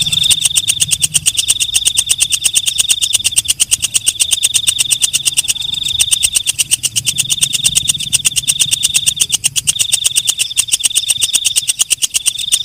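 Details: Night grasshopper (walang kecek) heard at night, keeping up a long, even train of rapid clicking pulses. A thin, continuous high-pitched ringing tone runs through, with short dips. Soft low rumble in the background.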